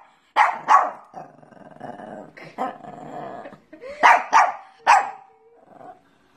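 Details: Barking Pekingese: two loud, sharp barks, then a low, rough growling stretch with a few softer yaps, and a final burst of three strong barks trailing into a faint whine.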